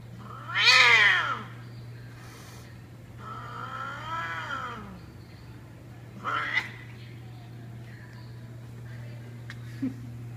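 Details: A couple of cats fighting in an apparent mating disagreement: long wailing, yowling caterwauls that rise and fall in pitch, with a loud first howl, a drawn-out second wail and a short sharp third cry, over a steady low hum.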